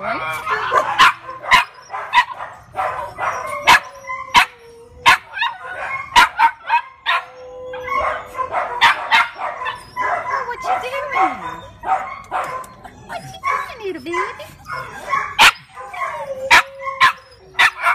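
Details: Rat Terrier giving rapid, high yips and sharp barks, broken by drawn-out whining tones that hold steady then slide; many sharp clicks and knocks scattered throughout.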